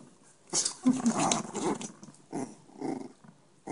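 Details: Chihuahua puppies with blue and ginger coats in Minsk, Belarus: short rough growling yaps come in three bursts over about four seconds, with quiet pauses between them, in a small indoor room.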